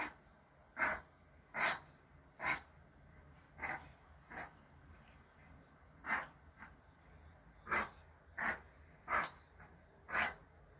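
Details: Choco, a two-month-ill male Pomeranian born 13 May 2020, sneezes and snorts in an uneven string of short, breathy bursts, some stronger and some softer, about fourteen in ten seconds.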